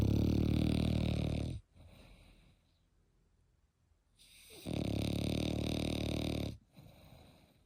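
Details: Eight-month-old Frenchie snoring in a regular rhythm. Two long, deep, vibrating snores are separated by a faint airy exhale and a few seconds of hush.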